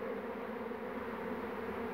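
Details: Honey bee swarm on 2 June 2019 in Poland, a second swarm clustered on the same branch while the beekeeper catches the queen; dense steady buzzing hum with a strong low drone, continuous throughout.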